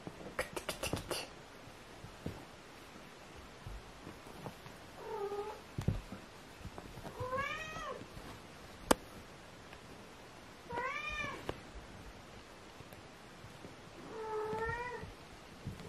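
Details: Kitten Aria, sister of Aramis, meowing indoors: four arched, harmonic meows a few seconds apart, each rising then falling. A burst of sharp clicks and rustles opens the recording, with light handling noises between calls.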